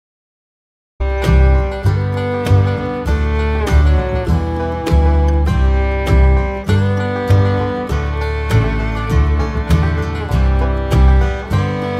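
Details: Loud country-style string music with a deep bass beat starts after one second of silence and fills the rest, with no animal calls.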